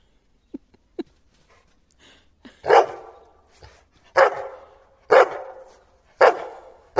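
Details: Labrador Retriever named Terry, a pet dog playing with its owner, barking in outrage when the owner fakes a throw and nothing is thrown: four loud, harsh barks about one second apart after a few soft clicks.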